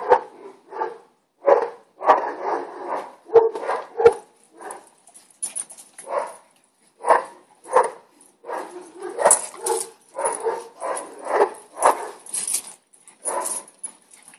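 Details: Boston Terrier at home, with neighbours' dogs said to be barking: a long run of short, sharp barks in uneven bursts, some in quick doubles and triples, with brief pauses between and faint hissing noise above.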